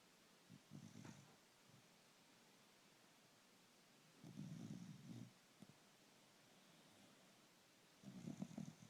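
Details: A puggle snores in its sleep: three deep, fluttering rumbles spaced about three to four seconds apart, with faint softer breaths and a small click between, no other sounds.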